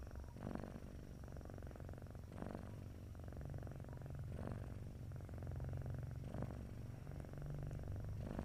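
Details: Purring from a sleeping domestic cat, called snoring: dense low rumble running throughout, punctuated by airy breath swells roughly every two seconds, quiet background.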